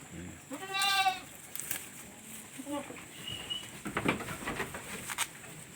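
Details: Short quavering bleat from a newborn domestic goat kid, roughly half a second long and rich in harmonics, followed by soft handling noises and low Filipino speech nearby.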